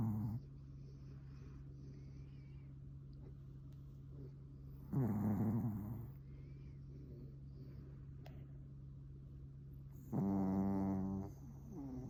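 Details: Asleep on a futon, Pomeranian Suama lets out two heavy, growly snores about five seconds apart, each lasting roughly a second, between stretches of quiet with a faint, steady low hum.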